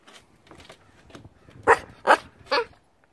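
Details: Corgi puppy named Hiro, indoors in a small room, giving three short sharp barks in quick succession about half a second apart, preceded by faint scuffling and soft household noise.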